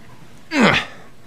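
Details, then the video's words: Bailey, a pet dog roused from an afternoon nap and set off by a small noise in the hallway, lets out a single loud, gruff bark with a falling pitch, lasting about a third of a second indoors. "My Dog Bailey wakes up from a nap"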